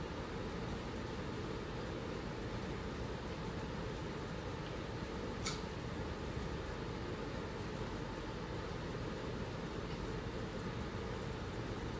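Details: Steady low hum like a fan or distant machinery fills a small indoor room, with one brief click near the middle and no animal voice.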